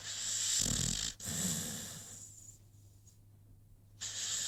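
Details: Sleeping American Pit Bull Terrier named Rocky snoring: two rough, raspy snores with a low fluttering rumble under breathy hiss, then a quieter gap before the next breath begins.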